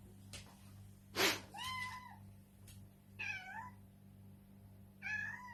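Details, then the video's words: Kitten meows over a low steady hum, three short falling meows spaced a couple of seconds apart, with a burst of noise and faint knocks early on. "KITTEN SOUND EFFECTS | More than 50 kittens Meow Compilation part 1"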